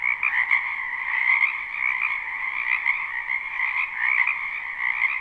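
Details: Many frogs croaking in a spring wetland behind a house, recorded live without looping: a dense, unbroken chorus of rapid trilling croaks in two stacked bands, one mid-pitched and one higher, swelling and easing slightly throughout.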